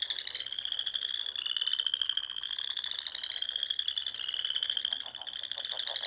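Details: Frogs singing in spring among ponds in the rolling dunes of Nebraska's Sandhills at dusk: dense, overlapping high pulsed trills run without a break, several callers blending into a continuous buzzing chorus.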